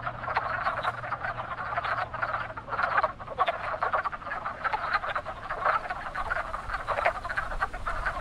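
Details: A chorus of wood frogs at a very active breeding pond in spring gives many overlapping, short, hoarse clucks like quacking ducks, rolling on without pause.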